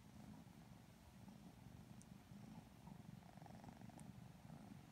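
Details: Sleepy purring from two Lilac Modern Lynx Balinese kittens getting petted and cuddled; continuous low, throbbing purr with a couple of tiny high clicks.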